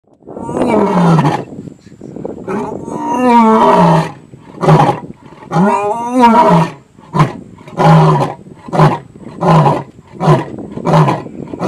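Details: A lion at Tau Game Lodge, Madikwe, South Africa, roars loudly in deep, drawn-out moans that break into a series of shorter, grunting calls.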